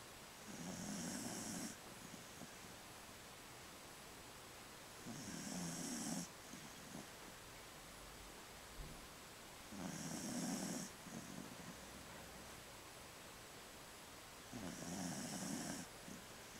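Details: Sleeping 15-year-old female Jack Russell Terrier, twitching as she dreams, produces four steady, hoarse snores of about a second each, evenly repeated every four to five seconds over quiet room hiss.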